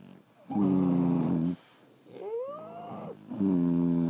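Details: A sleeping French Bulldog's snore: a long buzzy harmonic breath, then a rising and falling whistled wheeze, then another rough snore starting.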